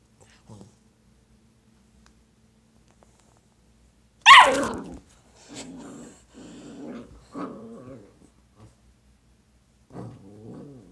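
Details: Dalmatian puppy playing with its own tail indoors: a sudden loud, sharp yelping bark, then several short bursts of low rough growling separated by brief silences.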